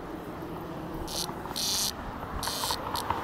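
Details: Cicada being rescued and released in 2021; four short bursts of high, hissing buzz, the longest lasting under half a second, separated by brief pauses, over low background rumble.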